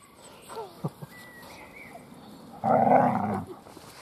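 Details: Weimaraner puppies of Gloria's litter, recovering from canine juvenile cellulitis and always hungry, at feeding and play: a few faint high whimpers early on, then one loud, harsh, drawn-out yelp lasting almost a second.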